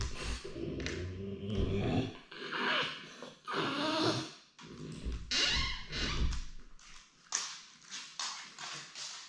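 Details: French Bulldog wanting to be with his owner, indoors in a small room: a run of nasal whines, grunts and snuffling vocalisations in uneven bursts, some drawn out over a second or two, with short gaps and tapping between them.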